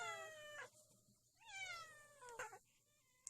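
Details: A cat gives two drawn-out meows: the first steady and falling at its end, the second rising briefly then sliding down, against a quiet background with a few faint clicks.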